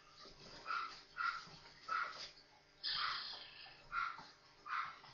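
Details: Newborn Maltese puppies, four of them, playing together; six short, high, squealing whimpers come about every second, one slightly longer and breathier, over a quiet indoor background.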